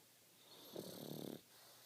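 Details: Pug snoring while sleeping and dreaming indoors; a single rasping, buzzy snore of about half a second with a rapid fluttering texture, set against quiet background hiss.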